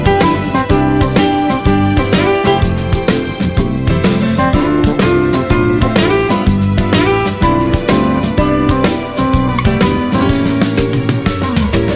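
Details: Bright strummed acoustic guitar music with a steady beat plays throughout, with no animal voices heard.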